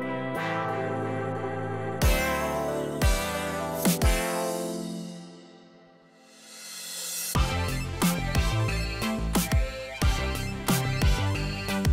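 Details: Electronic music with heavy bass beats and guitar-like tones, briefly fading to near silence around six seconds before the beat returns.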